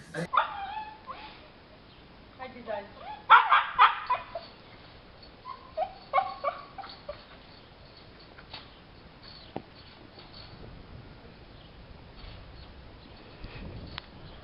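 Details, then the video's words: Puppies escaping a cage, giving short high whimpers and yips in bursts, loudest around the middle, with scattered quieter squeaks and some human speech. "Cute Puppies Escaping Cage Compilation"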